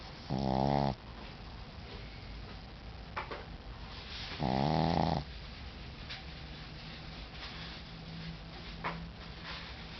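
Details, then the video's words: Tired Shih Tzu snoring: two loud, rough, buzzy snores about four seconds apart, each roughly half a second long, with softer breathy snuffles and quiet household hiss between them. "Hastings Snoring"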